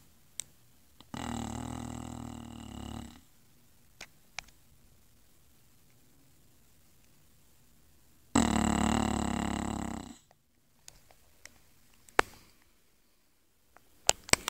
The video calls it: English bulldog snoring